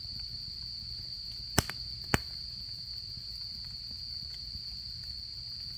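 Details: Continuous shrill droning of autumn insects at a campsite, broken only by two loud snaps from the burning campfire.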